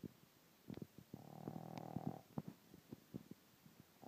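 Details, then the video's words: A 10-week-old Boston Terrier puppy snores like a human with low, rattling, irregular snorts and one longer drawn-out breath. "Snoring Boston Terrier"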